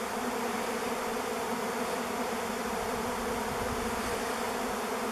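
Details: Honey bee swarm of thousands over a driveway, 05-11-21, recorded on a camera; a continuous, dense, level hum of countless wings with no other sounds.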